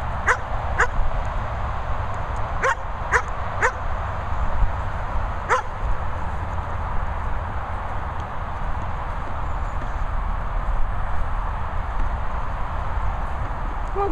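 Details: German Shepherd dogs Sophy and Toby at a licensed kennel in rural Worcestershire, England; six barks come in the first six seconds, some in quick pairs, followed by a long stretch of steady low background rumble with no barking.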